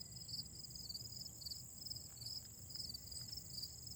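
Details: Grass insects singing in autumn, a dense chorus of high rhythmic pulsed trills repeating several times a second over a constant shrill ringing tone, with faint low rumble in the background.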